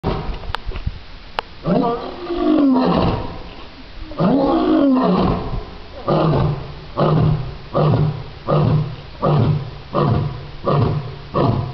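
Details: A lion at a zoo in North Carolina gives two long, deep moaning roars, then a run of short, evenly spaced grunting barks.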